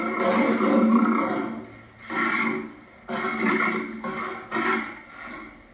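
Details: Rough, throaty lion growls repeated about once a second, each swelling and fading, the first the longest and loudest.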